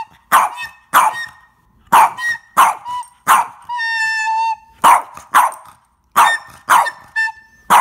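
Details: Pet Boston Terrier Captain barking at flute playing: repeated loud, rough barks in pairs and triplets with brief gaps, pausing once for a long, held, whistled flute note before the barking resumes.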